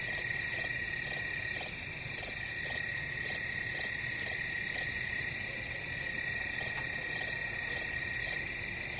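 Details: A continuous shrill cricket drone carries bright chirp pulses that come about every half second, pausing briefly midway before resuming the same rhythm.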